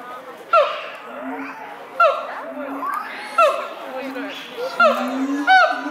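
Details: Siamangs Brave and Heart singing to each other at Chiba Zoo, Japan, in May 2021, a morning chorus: loud whooping and barking notes with swooping upward slides recur about every one and a half seconds over a low droning boom.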